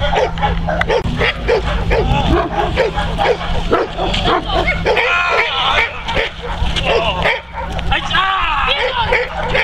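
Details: Working Neapolitan Mastiff Kuba guarding his owner against several agitators, loud bursts of heavy barking in quick runs, overlapped by raised human voices and shouts, with a constant low background hum.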